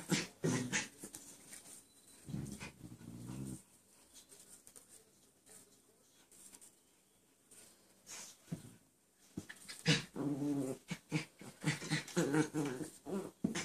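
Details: Playful dog Sally with companion Chance, recorded 11/3/13 indoors; bursts of huffing, panting growls and whimpers at the start and again near the end, separated by a quieter stretch of light rustling.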